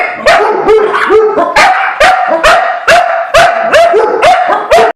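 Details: Dog alarm-barking at a squirrel, loud steady barks about twice a second, each sharp with a slight upward yelp, continuous over five seconds.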